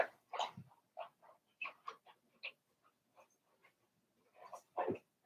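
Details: Four-week-old Cavalier King Charles Spaniel puppies from Daisy's litter in their puppy pen give a string of short, soft whimpers and squeaks, about a dozen brief bursts, with a louder yelp near the start and another near the end.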